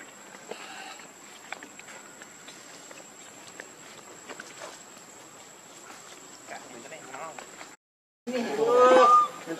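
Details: Lucie, a pitiful baby monkey needing milk, cries after a stretch of soft rustling and background noise; near the end come loud, clear, whistled cries, one note sliding upward beneath another higher one.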